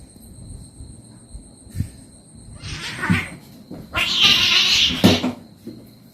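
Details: Pet cat being massaged and played with: a short strained meow, then a louder, harsh, breathy burst around four seconds, over a steady high tonal hum and faint Khmer speech.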